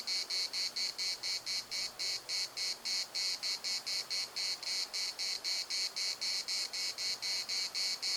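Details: Cicadas at the Larnaca municipal park produce a continuous throbbing buzz, sharp rasping pulses coming about four each second, strong and even, with a faint low hum underneath.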